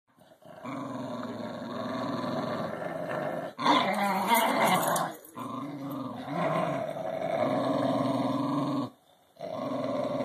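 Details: English Bulldog Maximus and Cairn Terrier Barnabus playing tug-of-war with a rubber ball filled with other rubber balls; long sustained rumbling growls with harmonic bands, broken by brief noisy snarling bursts and a short pause near the end.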